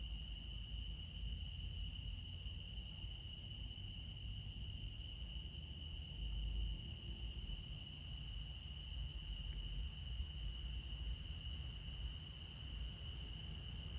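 A steady chorus of crickets trilling together, with a soft low rumble underneath.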